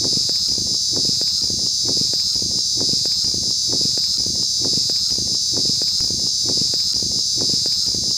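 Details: An insect called Chi Chi Poka in West Bengal gives a continuous, irritating, piercing high-pitched buzz that holds steady without a break; insect.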